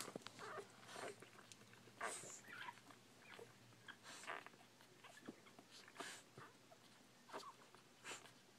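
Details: Newborn Bull Pei puppies indoors, giving short high squeaks and whimpers scattered through the clip, some with a harmonic ring, over soft rustling and clicking in a quiet small room.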